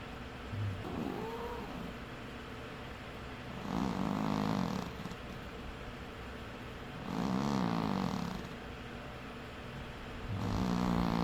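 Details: Sleeping cat snoring: long, raspy, rumbling breaths, each about a second and a half long, recurring roughly every three seconds, with quieter pauses between them.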